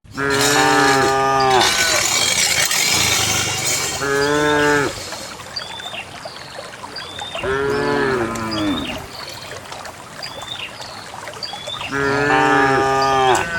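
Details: Dozens of cows walk out on a quiet countryside morning along wet paths toward a green valley to graze. Four loud, drawn-out moos with rich harmonics, each lasting about a second, come roughly every four seconds over steady rustling background noise.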